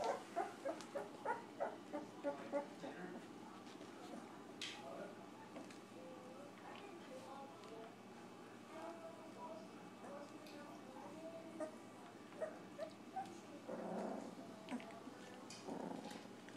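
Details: Two-week-old Golden Retriever puppies give a quick series of high, squeaky whimpers, then softer scattered whines.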